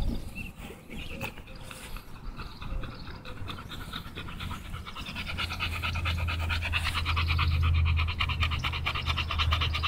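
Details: Rapid, rhythmic open-mouthed panting from Tugboat the American Bully on a walk, roughly three breaths a second and growing more even, accompanied by a steady low droning hum in the background.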